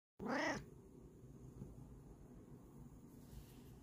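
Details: A Bengal cat gives one short, clear meow that rises and falls during a morning chat with its owner, followed by quiet room sound.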